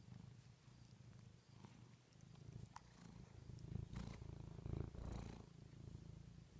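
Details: Low, rhythmic purring from a pet cat, the rumble swelling louder toward the middle, with soft clicks and brief higher rustling noises over the steady drone.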